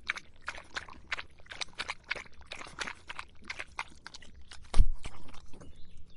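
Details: In the hot summer heat, a dog laps water with quick rhythmic splashy clicks, then a single dull low thump near the end.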